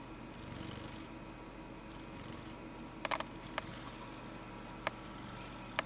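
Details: Jello, a male pet cat, sleeping indoors and snoring: a steady low rhythmic breathing drone runs through the clip, with faint hissy rises and a few sharp clicks.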